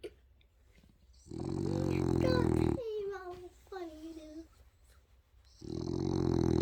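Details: A male French Bulldog snores loudly like an old man, in rasping rumbles with soft, whining squeaks between the snores.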